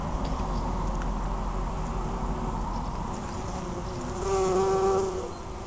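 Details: A bumblebee working a white-flowered bush, Pulford, June 2015, gives one clear, steady, deep hum lasting about a second near the end, after a stretch of low background rumble.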